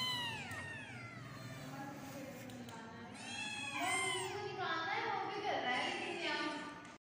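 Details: Kittens give repeated high, down-curving meows, some overlapping, over a low background hum, with a busier stretch of mixed cries toward the end.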